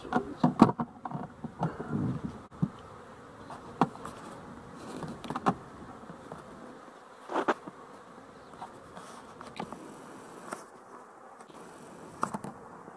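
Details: A busy honey bee colony at its hive; a low, wavering drone runs through the whole stretch, broken by frequent sharp taps and thumps, some loud.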